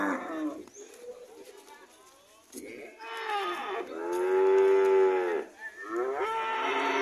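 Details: Red cattle on the way home, calling in a series of moos, the loudest a sustained lowing call in the middle, with shorter calls before and after.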